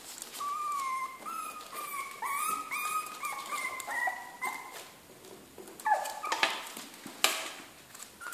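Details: Jack Russell Terrier puppies in a kennel give a series of high, tonal whines, each a few tenths of a second and gently sliding in pitch. They come in quick succession over a quiet background, followed by scattered clicks and rustles.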